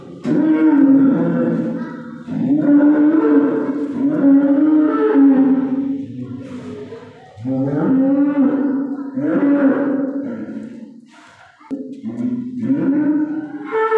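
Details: Calf crying the day before Eid al-Adha: long, wavering, harmonic moos rising and falling, about five drawn-out calls separated by short pauses, with no other clear sounds.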